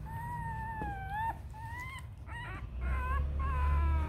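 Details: Purebred Rottweiler puppies, a litter of Siro and Loki a little over a week old, about to open their eyes; a run of clear, high, slightly rising whines repeats quickly, some wavering, over low background rumble.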